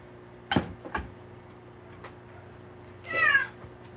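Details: Oldest male domestic cat kept indoors, caught during a live broadcast, gives one short rising-and-falling meow near the end, after a few knocks and thumps, over a steady low electrical hum.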